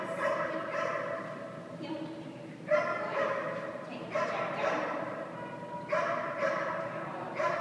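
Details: Dog named Jack at a boarding kennel, training downs; a series of ringing, harmonic barks and yips arrives in clusters every second or two, the calls sharp at onset and somewhat drawn out.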